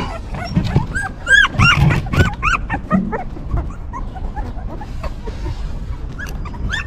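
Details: Newborn puppies of a stray mother dog that is caring for them: a busy chorus of high, wavering whimpers and squeals, many overlapping, with some lower grunting sounds beneath.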